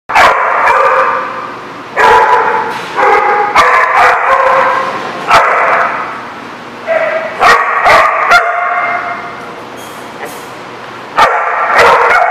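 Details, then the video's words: Many dogs barking together at a dog boarding or daycare lot, with dense overlapping harmonic barks and yips in rapid irregular bursts, brief pauses between volleys. "The Barking Lot"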